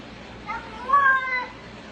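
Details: Domestic cat 'talking': a single drawn-out meow with a clear harmonic stack that rises and then falls, brief softer onset before the main louder cry, light room background.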